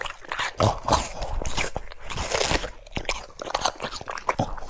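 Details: A French Bulldog munching cucumber, quieter crisp crunches and separate snapping bites spaced irregularly, with brief pauses between mouthfuls in a small room.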